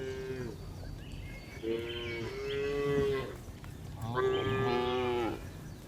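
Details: Cows herded home to the barn on an afternoon in the village, giving nasal, wavering moos, one brief and two longer drawn-out calls, over a noisy outdoor background.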